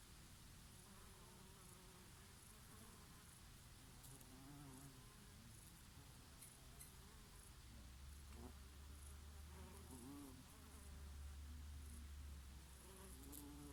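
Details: Bees foraging on oregano flowers in summer, their wavering low buzzes drifting in and out over a steady rumble of summer breeze, with several passes rising and falling in pitch.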